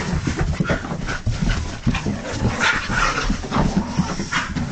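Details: A husky in an excited, wild mood giving short, thin whines and squeaks amid heavy panting and low grumbling noises, close up in a small room.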